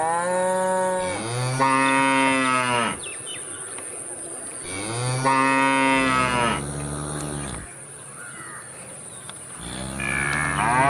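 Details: Cow moos in long, rich, harmonic calls, the first two of nearly two seconds each, then a shorter rising call at the end, over a steady background hiss.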